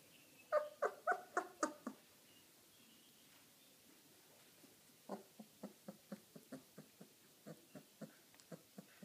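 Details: Irish wolfhound puppy, 18 days old, at meal time indoors, giving a run of short whimpering squeaks in a quick burst, a pause, then a longer even series of soft repeated squeals.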